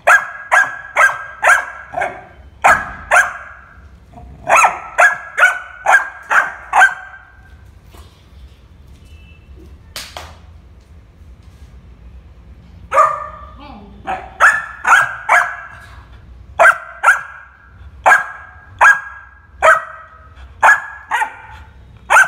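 A Labrador puppy barks in quick, high-pitched bursts, several yaps at a time with short pauses between.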